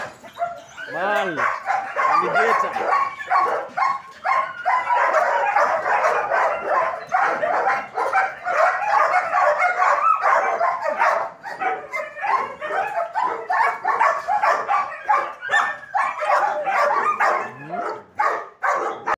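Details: German Shepherds in training at a dog academy bark nonstop in an overlapping group, with a rising-and-falling whine near the start and a human voice faintly mixed in.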